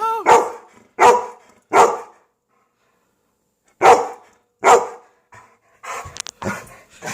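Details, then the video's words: In Homer, Alaska, a domestic dog gives sharp, harsh barks in quick groups of three and two at a moose standing in front of the house after it chased her and her owner. "Rainy barking at the moose"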